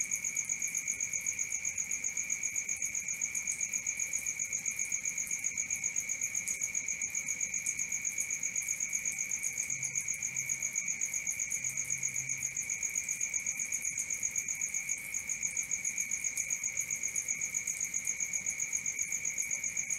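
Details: Crickets at night, a steady high chirping pulsing about four times a second without pause, with a bright tone and a higher overtone running throughout; no other sounds stand out.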